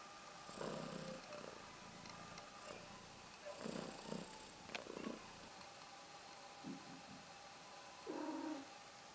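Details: Pregnant British Shorthair cat with kittens moving in her belly, purring in low rumbling bursts of about a second each, separated by quieter gaps, with clicks and handling noise.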